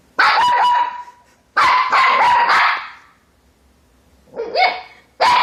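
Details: Siberian Husky giving loud, harsh barks with a tonal, howl-like edge, one bark, then a rapid cluster of three, a pause, then further barks.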